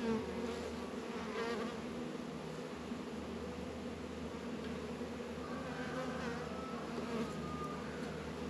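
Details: Honey bees working at their hives in a northern Kentucky apiary on a 72-degree February day, Warré and Langstroth hives; a steady, dense low hum of many wings holds throughout, with faint higher tonal traces near the end.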